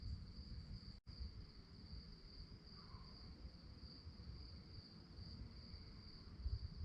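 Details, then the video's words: Crickets at night sustain a thin, high, continuous chirping trill; the whole sound cuts out for a split second near the start, then the steady pulsing band resumes above a low background hum. "relaxing sounds of crickets"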